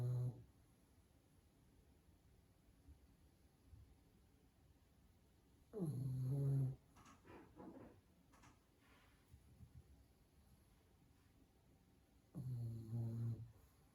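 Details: Pug dog sleeping indoors, snoring loudly: two strong low rattling snores about six seconds apart, each lasting under a second, with softer breathing snuffles between them in a quiet small room.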